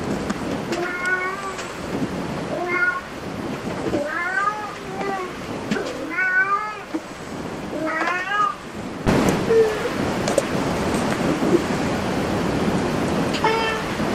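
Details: Cat at a cat cafe giving a series of clear, harmonic meows, several rising then falling, repeated about every one to two seconds over the first nine seconds, followed by quieter meows amid a loud broadband rumble.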